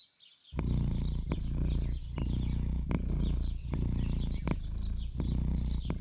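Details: A Russian Blue cat of sweet, gentle character gives a low, continuous purr lasting over a minute, rumbling on and breaking briefly about every second as it breathes in; faint high chirps in the background.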